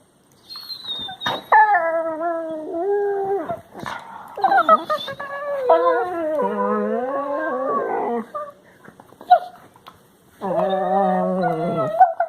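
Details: Labrador Retriever puppies, recorded March 16, 2020, give drawn-out, wavering howl-like whines, rich and nasal, in several bursts.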